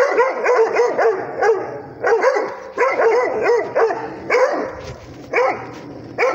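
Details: Rhodesian Ridgeback barking at a tablet indoors: a run of short, arched barks in quick bursts of three or four, pausing briefly between bursts, with a final bark at the end.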